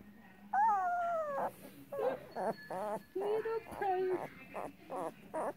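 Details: Rottweiler pups two weeks old, crying in a steady string of high whines, the first long and slowly falling, then shorter wavering and bent squeals in close succession, with faint low murmuring voices underneath.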